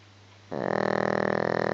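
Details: Dog Gizmo asleep, one snore starting abruptly after half a second of low hum and continuing as a steady fluttering rasp to the end.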